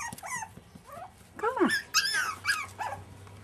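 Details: Young Jack Russell Terrier puppies aged 5½ weeks give overlapping squeaky whines and yelps, several arching up then dropping in pitch, coming in quick bursts roughly twice a second.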